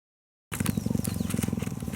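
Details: Hand-raised female African cheetah at a rescue center in 2015, purring while grooming a volunteer's neck and scalp to show affection. After half a second of silence, a low, steady rumbling purr pulses rapidly and evenly.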